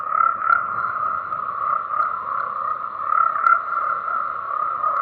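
Tree frogs croak together in a steady, dense chorus that blends into one continuous mid-pitched drone.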